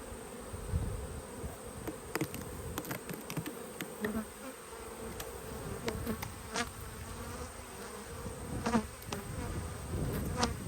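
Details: Honey bees, half golden and half dark, inside the opened yellow hive during an inspection on 19 March 2022 after smoke at the entrance; a continuous buzzing drone, broken by sharp clicks and knocks of the frames being worked.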